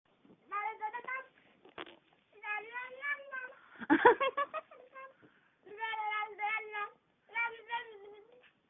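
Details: Ally Davianna, a pet cat, makes funny noises indoors while her gums are rubbed: drawn-out, wavering, nasal vocal bursts with a rough crackling moment midway.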